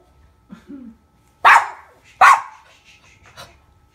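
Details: Pet dog barking indoors near a baby: two loud, sharp barks about a second apart, a short soft vocal sound before them and a faint yap after.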